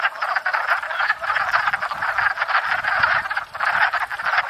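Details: Spring breeding chorus of wood frogs at a pond, where they court and breed: a dense, continuous rattle of overlapping hoarse clucking croaks, loud and unbroken, dipping briefly near the end.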